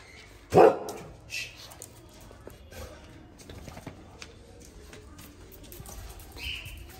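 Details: Active pet male pug during play with its owner, recorded on an iPhone 13 Pro Max: a single short, loud bark near the start, then faint rustling and a brief higher sound in a quiet room.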